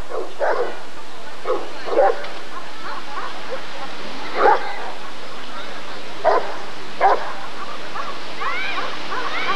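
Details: Rottweiler barking at the 1994 ADRK breed survey (Körung): scattered single barks spaced one to two seconds apart, with faint voices and crowd noise behind and a higher tonal sound near the end.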